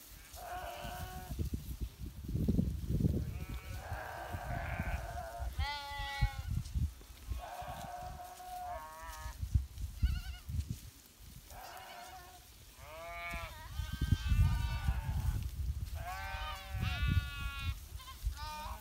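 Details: Flock of domestic sheep kept by a Himalayan shepherd in winter, many overlapping harmonic bleats, some wavering and rising, others flat and drawn out, over heavy low rumbling background noise.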